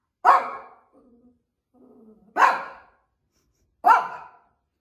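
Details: A female Shih Tzu barks at nothing during her daily rounds of the bedroom: three abrupt, harsh barks spaced about one and a half seconds apart, with faint low murmurs in the pauses.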